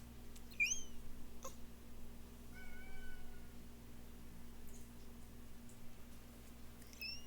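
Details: A couple of cats making funny noises: a few faint, short squeaky chirps, a rising one early on, then a thin level squeak near the middle and another at the end, over a steady low indoor hum.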